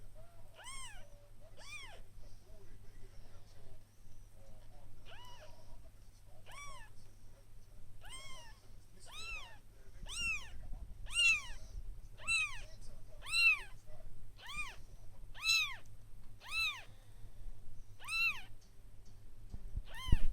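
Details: One-day-old kittens crying in a steady run of high, clear, arching mews, roughly one per second, growing louder midway, with a low electrical hum beneath.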